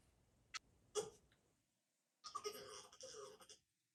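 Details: Jason, a French Bulldog, making his funny sound when he wants to get out of his crate: two short snorting puffs, a pause, then a wheezy, whining moan lasting over a second, rough and breathy.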